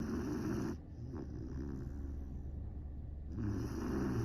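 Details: Great Dane puppy named Saigo-don snoring loudly while asleep: a harsh, low rasping snore opens and closes the short stretch, with softer breathy rumbling in between.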